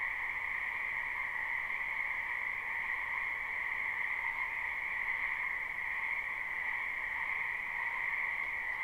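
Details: Frogs croaking together in a wetland behind a house during spring, recorded live with no looping: an even, droning trill chorus in two pitch bands, unchanging in loudness, nothing else audible.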